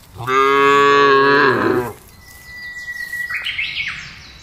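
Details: A cow in a large herd being driven across a wide grassland gives one long, loud moo, rich and steady, fading out after nearly two seconds.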